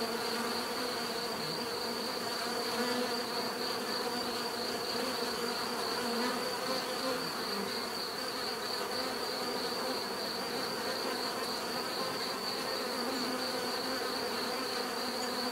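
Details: Many bees hum together in a thick, constant drone, occasional individuals flying closer and fading, while a sustained high thin tone sits above the swarm sound.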